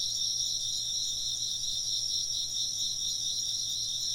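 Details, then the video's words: Steady insect song in chorus, high and shimmering, with layered trilling bands that never break. A quiet low hum runs beneath the chirping. "風鈴の音と虫の声 - wind chimes and chirping insects"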